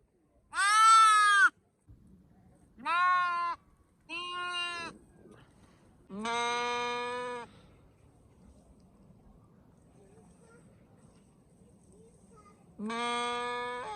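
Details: Sheep calling five times, with short bleats spaced a second or two apart and a long quiet pause before the last; the higher, clear calls contrast with slightly deeper, longer ones; low background hum throughout.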